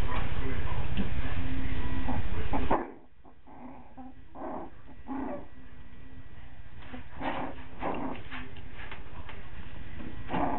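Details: Coton de Tulear puppies, five weeks old, in Orange, Connecticut, giving short high whimpering yips in scattered bursts over a steady low rumbling background.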